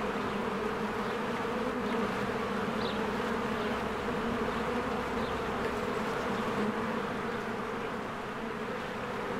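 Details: Swarms of honeybees coming and going at a spring beehive, their wings making a rich continuous hum that swells slightly midway, with a few faint distant bird chirps overhead.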